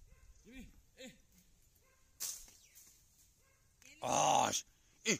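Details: Gaddi dog named Jimmu, a hunting dog, giving two short rising-falling whines early on, followed by a loud broadband burst and a brief sharp yelp near the end, with a soft background hum.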